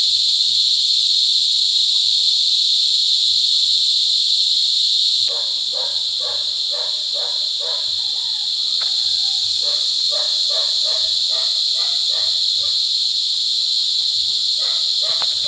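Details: Cicada mating calls in cicada season, La Carlota City, Negros Occidental, July 18, 2020. A steady, piercing high drone runs throughout. After about five seconds, rapid lower pulsed barks join in, possibly a dog.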